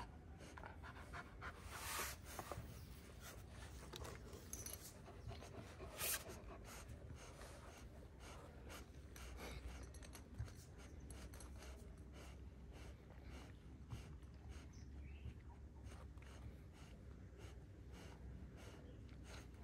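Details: Kangal dogs, one year old, filmed in Alanya, Antalya province, Turkey, 24 September 2024: steady rapid panting continues for about twenty seconds, with a few louder breathy bursts and a constant low hum behind.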